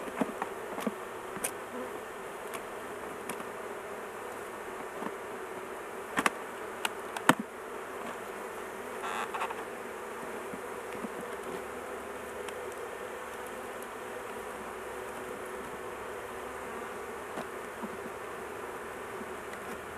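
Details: Honey bee colony buzzing during a large hive intervention with the queen caged so she is not crushed; unbroken low hum, several sharp knocks early on and a brief louder rustle midway.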